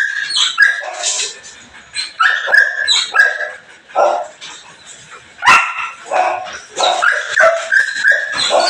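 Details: Morning sounds of a Belgian Malinois: clusters of yelping barks and higher whining notes, coming in uneven bursts separated by short lulls.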